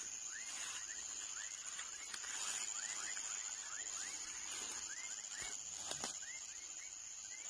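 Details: Baby frog producing a steady series of brief rising chirps, about three each second, over a continuous high whine of background hum.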